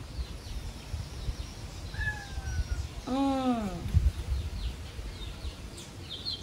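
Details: Stray kitten Shippona, grown talkative, complains in Paraguay: one clear arching meow near the middle, rich in harmonics, rising then falling, after a soft descending tone and a spoken invitation to eat. Faint bird chirps sound high in the background.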